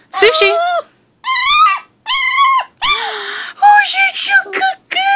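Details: Sushi, a female American Pit Bull Terrier puppy of six weeks, keeps talking in a string of wavering whines and short howls, five or six bursts with pauses, as a woman speaks over some of them.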